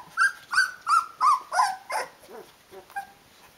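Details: Rhodesian Ridgeback puppy, 16 days old, calling its mother to be fed; a run of six strong short yelping whines at an even pace, then fading softer whimpers.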